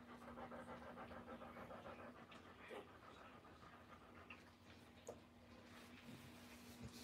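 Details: Doberman Pinscher during the 2021 birth of a puppy litter, quick huffing pants for about two seconds, then irregular breaths, small clicks and shuffling sounds, with a constant low mains-like hum.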